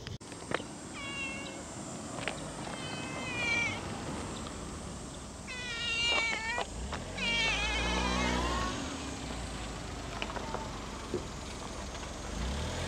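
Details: Stray cat filmed in Japan, meowing several times: harmonic, wavering cries around seconds one to three, six, and seven to nine, over steady background hum and engine-like noise.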